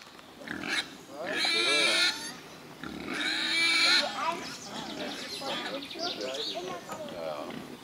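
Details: Wild boars squealing: two loud, harsh, high-pitched bursts with bright harmonics, each about a second long, followed by softer, scattered squeaks and grunting noises.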